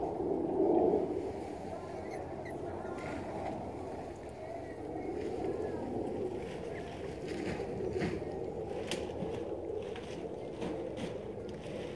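Broadband rumbling and water-like noise with faint voices, possibly a boat, and no clear animal sound.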